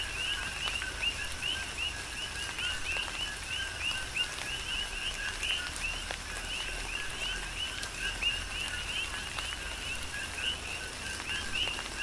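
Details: Big Island, Hawaii: a rhythmic chorus of coqui frogs sings through a tropical rain shower, bright upswept chirps following one another continuously over a droning background, with raindrops tapping steadily.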